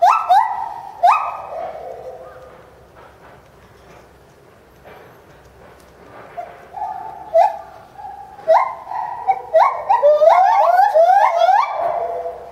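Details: Bornean white-bearded gibbon in a zoo, Higashiyama Zoo and Botanical Gardens, January 2011, calling wildly while leaping about: loud hooting notes that step and slide in pitch, a quiet stretch midway, then a rapid run of rising whoops building to a climax.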